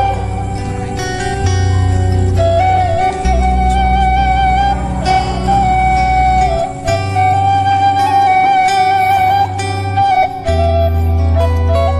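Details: Continuous instrumental music with a flute-like melody over plucked strings and a steady low bass throughout.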